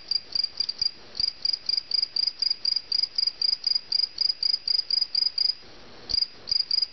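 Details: Cricket caught indoors, chirping loudly in short high-pitched pulsed bursts about four per second, steady with one brief pause.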